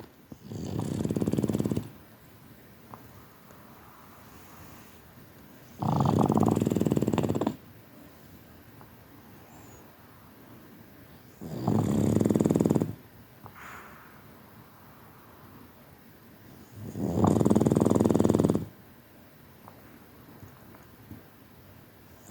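A Boston Terrier snores with deep, rattling intakes of breath, each rough rumble lasting a second or more. The snores repeat steadily about every five seconds, with quiet pauses between them.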